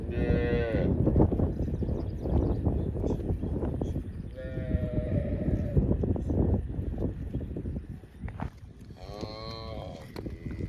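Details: Cow mooing three times: a short bellow at the start, a longer level moo partway through and a rich final call near the end, all over heavy low rumbling noise.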